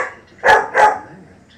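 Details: German Shepherd puppy barking at lions, two quick sharp barks in close succession, the second following about a third of a second after the first, over faint background noise.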